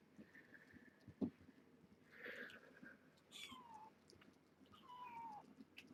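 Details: Rescue kittens at a 7-26 weigh-in, from a seven-kitten litter born June 21 at Purrfect Pals, give several thin, descending meows, each under a second, one after another, over soft handling clicks and a quiet indoor background.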